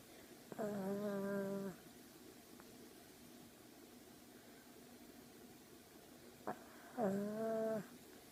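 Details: Romeo the Chihuahua snoring while asleep: two drawn-out, nasal, humming tones with a steady buzzy pitch, each about a second long and roughly six seconds apart, separated by quiet indoor room tone with a faint click.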